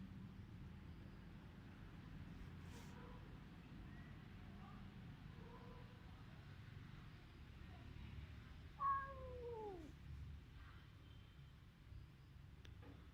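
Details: Village cat in rural Cambodia, recorded on a Samsung mobile phone: one loud falling meow near the nine-second mark, with softer faint mews before it over a steady low engine-like rumble.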